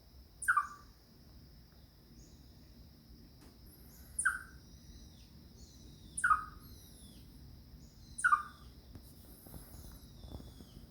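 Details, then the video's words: Alarmed chipmunk giving its danger cry: four abrupt falling chips spaced about two seconds apart, clear and piercing against a low steady hum and soft background noise. "다람쥐 울음소리는 위험하다고 느낄때"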